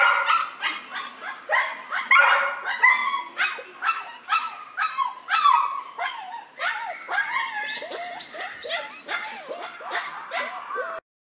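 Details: Newborn White Schnauzer puppies born September 3 cry in a steady stream of rapid, piercing yelps and squeals, nearly two per second, each short and sliding downward in pitch.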